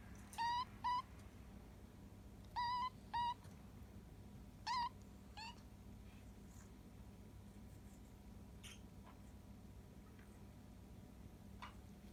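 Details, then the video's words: Rescued kitten, abandoned and found in late September, asking for food when hungry. Six short chirp-like mews come in pairs over the first six seconds, followed by near silence indoors. "Making funny sound when he is hungry 独特な鳴き声でごはんを欲しがる子猫"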